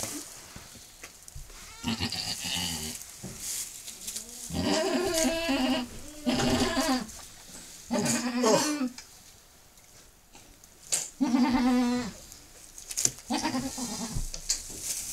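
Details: Domestic goat giving birth to her second kid moments after delivering the first; repeated wavering bleats in short bursts of a second or two, separated by quieter gaps with rustling.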